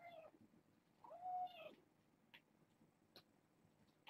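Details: Domestic kitten from a litter of six born August 29th, heard at bedtime indoors: one high, thin, arching meow rising and falling over about half a second, with soft faint clicks and rustling afterward.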